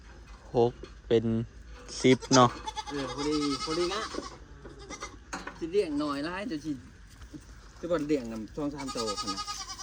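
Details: Recently bought goats, four more for the herd, give short harsh bleats, one early on and another at the close, while people talk almost continuously.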